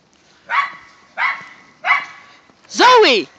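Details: During a snow day romp in the first light snow of the season, dogs of a whippet and rat terrier group give three evenly spaced barks, then a loud, high, wavering whine.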